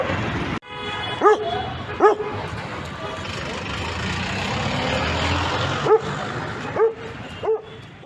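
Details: Dog letting out single ringing barks with a rising-then-falling tone, two early and three later spaced about a second apart, with a quiet humming background between.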